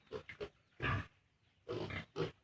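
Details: Piglets 32 days old on a farm, at the age of weaning from the sow, give short rough grunts in quick clusters: two quick ones, a longer louder grunt, a pause, then two more grunts.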